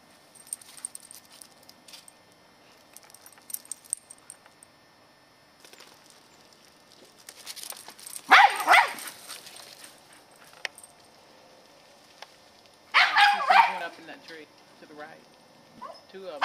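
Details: Katie, a 10-year-old female Scottish Terrier on squirrel patrol in the yard, November 2008: two short bursts of sharp barking separated by several seconds of near-quiet.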